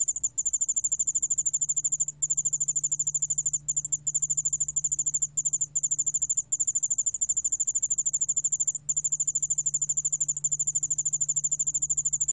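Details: A Korean yeoul-allak-bangul-beolle cricket, recorded in 2020, keeps up a fast, high-pitched pulsing trill. A few short breaks interrupt it, and a constant low electrical-sounding drone runs underneath.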